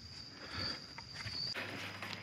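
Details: Many cicadas droning at an emperor's tomb site in Hue, Vietnam: a steady, thin, high-pitched whine holds unbroken through the whole stretch, under footsteps and faint outdoor rustling.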